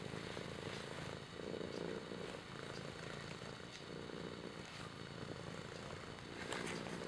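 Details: Steady purring from Kimba the cat: a low, throbbing rumble that pulses in regular cycles as the cat breathes in and out, with faint background hiss.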